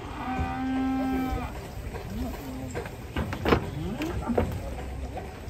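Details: A rampaging cow swimming in water while local residents crowd around gives a steady, level moo lasting under a second, followed by splashing, knocks and background crowd noise.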